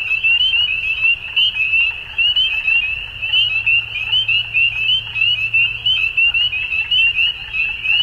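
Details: Frogs calling at dusk in a dense chorus of short, upward-slurred trilling notes on a steady high pitch, overlapping continuously with no pauses, plus a faint low hum underneath.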